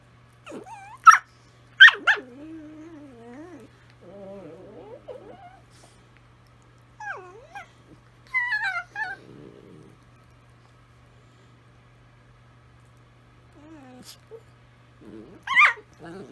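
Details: Italian Greyhounds singing to each other, here quieter: soft wavering whimper-howls and a buzzy low growl-like stretch, punctuated by a few sharp high yips, with long near-silent gaps and a faint low hum.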